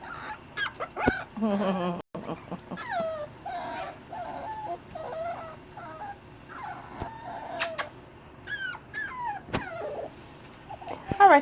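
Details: Dachshund puppies at six weeks old, nearly weaned, in a new larger setup; many overlapping high-pitched whines and yips, falling and wavering, with occasional clicks and clatter in the background.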